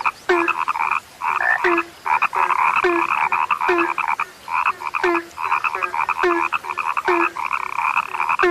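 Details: Frogs said to be rare croak continuously in rhythmic buzzy bursts, each one tailing into a short low tone, repeating about twice a second with a few quiet gaps.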